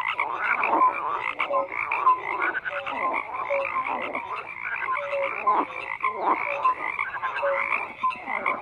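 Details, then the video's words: Chorus of many frogs, continuous rough croaks layered with brief clear tonal pips every second or so, a busy unbroken wall of calling. "FROGS CROAKING"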